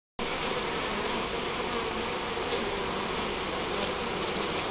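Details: Honey bees at a beehive in spring, recorded on a Nikon Coolpix S5100: a dense, steady hiss-like droning hum from many insects, unbroken throughout, with faint clicks and ticks over the top.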